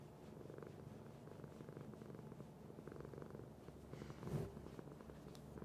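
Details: Domestic cat purring: a steady low rumbling throb, pulsing in even beats with alternating breath phases, plus a brief soft rustle near the end.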